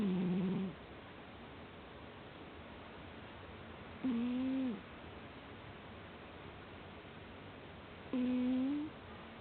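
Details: Cat fast asleep and snoring, a low voiced drone with a faint upward bend at the end, repeated regularly about every four seconds, three snores in all against a quiet steady hiss indoors.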